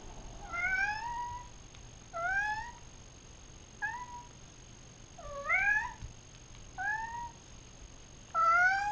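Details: Domestic cats Sleater and Cosmo active at night in Fairfield in 2014, recorded on a GoPro Hero 3: six loud, harmonic meows in under nine seconds, each bending upward or arching, separated by short pauses over a quiet indoor hum.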